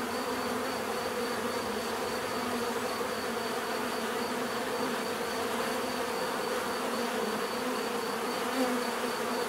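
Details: Steady buzzing of a mass of bees, an even droning hum without pauses, a faint high whine running above it and a small swell of one nearer buzz late on.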